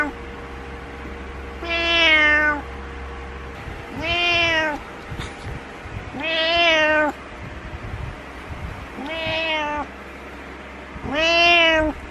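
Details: Butters, a pet cat, meows every morning on the bed until his owner gets up, disliking being alone; five drawn-out, falling harmonic meows about every two to three seconds, quiet room between them.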